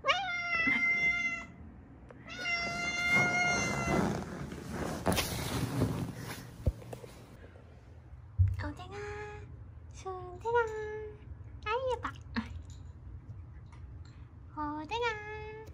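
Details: Mother and daughter stray cats rescued in Haeundae after seven years on the streets, bones set crooked from a car accident; frequent insistent meows, some long and level, others short and bending, mixed with rustling and voices indoors.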